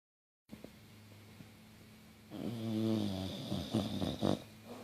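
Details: A female English Bulldog, crashed out asleep on a couch with her tongue sticking out, snores loudly with rough, rattling, low breaths.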